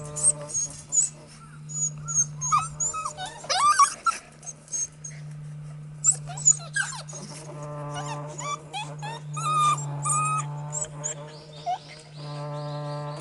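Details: Four Border Collie puppy siblings, two males and two females, 50 days old, playing excitedly. High whimpers and short yelps come in scattered bursts, some sliding up and down, over a steady low hum.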